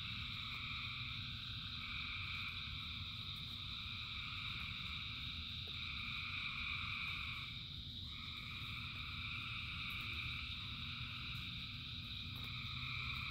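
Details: Frogs calling in the rain, thousands together, forming a continuous layered chorus of trilling notes that swell and dip slightly, over a constant deep patter of falling rain.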